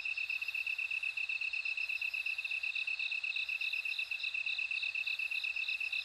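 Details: Bell crickets sing steadily: a bright, high pulsed trill repeats about twice a second, with a second, higher ringing voice wavering above it. A faint low rumble runs underneath.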